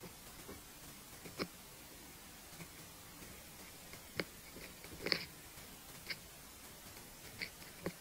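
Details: A longhorn beetle (Japanese futasuji-katabiro-hana-kamikiri) biting into cabbage leaf makes soft, irregular crunches and crisp clicks a second or so apart, with only a faint hiss between bites in a quiet room.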